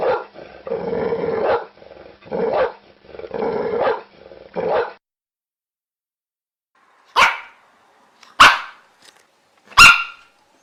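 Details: Dog giving three sharp barks about one and a half seconds apart near the end, after several seconds of rough, broadband growling or rustling noise.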